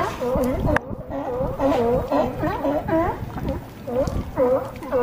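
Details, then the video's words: California sea lions on a harbor dock at Crescent City, California, bark in a chorus of hoarse, honking calls that overlap throughout. "California Sea Lions"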